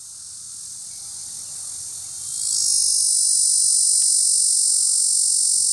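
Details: Cacama valvata cicada calling at Cimarron National Grasslands; a dense, continuous high buzz that swells in loudness partway through and then holds steady, with one brief click and faint low rumble beneath.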